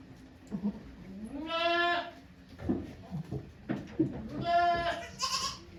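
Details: Okayu, a goat at Yoshigake farm, gives birth to two kids on 3 May 2023 as volunteers look on; two drawn-out, nasal, vibrating bleats about three seconds apart, with soft voices and shuffling between them.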